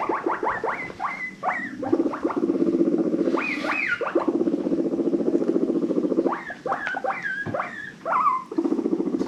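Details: Domestic guinea pigs from a rescue-adopted herd wheeking happily: rapid series of rising, harmonic squeals that repeat in quick bursts, over a steady low purring rumble between the calls.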